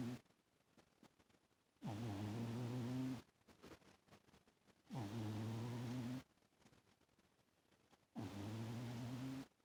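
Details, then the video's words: Loud snores from Toaster, a cat asleep on a lap. Four low, throaty, harmonic drones, each about a second and a half long, recur in a slow breathing rhythm of about three seconds, with near silence between them. "Toaster snores pretty loud in his sleep haha... who would have thought a cat actually snores haha..."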